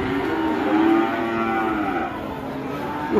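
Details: Cattle bellowing while being released, described as raging: long harmonic moos, loud and sustained, with people talking nearby.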